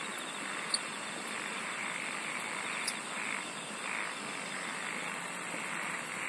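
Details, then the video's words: A steady insect chorus forms a bright, shimmering wash, with faint, rapid, high-pitched pulse trains near the end and a few soft clicks. "SINGING OF INSECTS"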